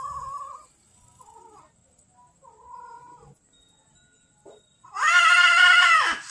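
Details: Hungry street cat at a lunchtime feeding in Banyuwangi, Indonesia, angry at being fed late: several soft, brief mews build to one loud, harsh, sustained yowl at the end.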